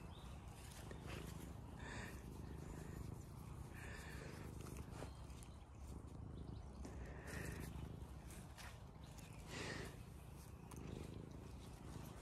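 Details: Kitty Mustard, a tamed male wild cat on a regenerative farm in County Kilkenny, Ireland, follows someone with persistent mews demanding attention and head scratches; short, brief mews recur every two to three seconds over a steady low outdoor rumble.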